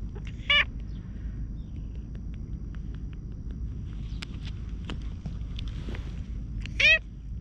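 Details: Hoarse-voiced stray cat approaching and being patted on the lower back, filmed on a GoPro: two short, rich harmonic meows, one near the start and another about six seconds later, with soft clicks and rustling between.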